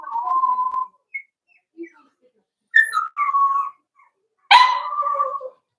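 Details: Four-week-old Cavalier King Charles Spaniel puppies, Daisy's litter, kept in a pen: a level whine, scattered soft squeaks, two rising-then-dropping whines, then a loud harsh yelp trailing into a drawn-out whine.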